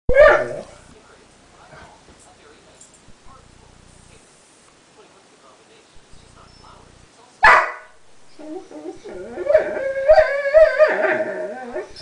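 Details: Sombra, a pet dog, cries over a guarded chew bone that another small dog, Decker, is near: a person speaks briefly, then a sharp yelp and a run of wavering, whiny barks and moans close the recording.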